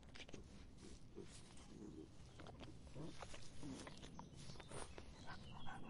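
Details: On a hot summer day, a dog laps water, making soft wet splashes and clicks several times a second.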